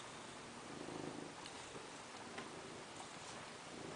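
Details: Fat cat lying in the sun with a quiet, continuous purr, a low pulsing rumble that swells slightly near the start, set against steady hiss with faint scattered clicks.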